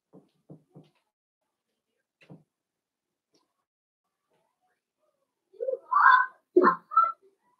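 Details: Five blenheim Cavalier King Charles Spaniel puppies, born on New Year's, playing with their mother indoors in a puppy pen; soft taps at first, then a burst of short whiny yelps and squeaks near the end.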